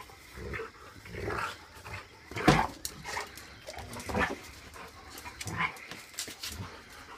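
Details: Big Rottweiler Duke and a puppy growl, huff and pant in short rough bursts while play-wrestling.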